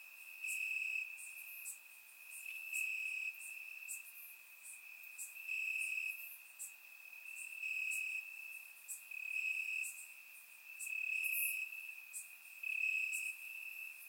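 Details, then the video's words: On a warm summer night in Bulgaria, crickets in the grass keep up a high, pulsing chirp, loud phrases recurring roughly every second or two over a soft chorus of distant insects. "Cricket Sounds - Crickets Chirping at Night"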